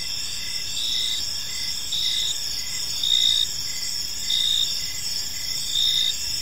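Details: Crickets chirp through a calm evening in a park, a shrill continuous trill broken into regular louder pulses about every second, with soft low rumble beneath.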